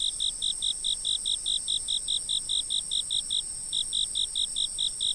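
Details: Insect chirping from a fixed camera: regular high pulses about four to five a second, one short pause past the third second, then resuming at the same pace over a steady high-pitched hum.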